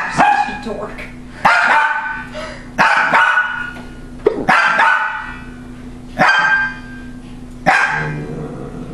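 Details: Domestic female dog at her loudest, barking at a motion-triggered laughing toy; six loud, ringing barks roughly every one and a half seconds, each with a short trailing yelp, over a constant low toy hum.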